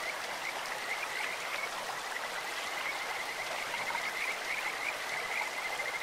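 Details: Kajika frog by a clear stream, its high pulsed notes fainter and broken into short bursts, partly masked by loud, steady rushing water.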